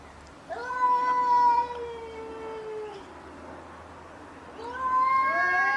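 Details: Domestic cats fighting give a drawn-out, harmonic-rich yowl lasting over two seconds that slowly sags in pitch, then, after a quiet gap, a second wailing yowl begins and rises, with faint background hum.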